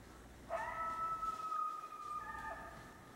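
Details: Coyote howling at night: a steady, sustained tonal howl with rich harmonics, holding level for about two seconds before shifting briefly to a second pitch near the end, with faint background hiss.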